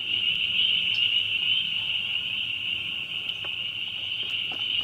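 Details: Dense chorus of spring peepers, a strong unbroken high shrill band of overlapping peeps, with a few distinct sharp notes near the end.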